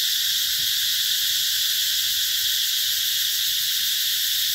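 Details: Summer cicadas at the Mỹ Luôn eco-tourism garden in Vietnam's Mekong Delta, 2021, keep up an unbroken, even, piercing high drone from start to finish.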